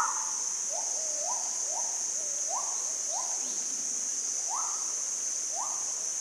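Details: Monkeys calling back and forth in forest along a mountain track south of Ban Mai Huai Hia, Chom Thong, Chiang Mai, Thailand, 2017, first distant then approaching, unseen; short rising tonal coo-like calls over a steady high hiss.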